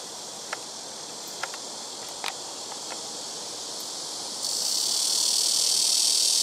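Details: ['Blackish cicadas in trees on a home rooftop, calling in turn from surrounding trees; a moderate high buzz with a few sharp clicks, then a much louder, harsh hissing drone starting abruptly partway through.']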